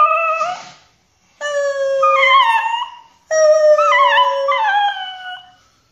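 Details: Pinscher dog's "sad song": a short yelp, a pause, then two sustained, clear howls that bend and waver in pitch before fading out.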